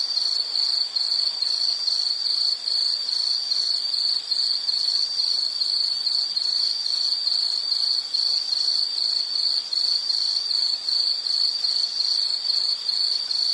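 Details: Shrill insect chirps in a dense, regular pulsing pattern, about two to three bursts per second without pause, high and piercing over a faint hiss; nature ambience meant for study or sleep.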